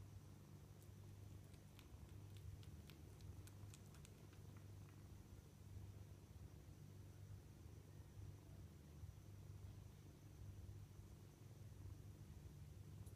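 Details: Kittens purring at dinnertime, a deep unbroken rumble, with a quick run of sharp clicks in the first few seconds and a faint high whine throughout.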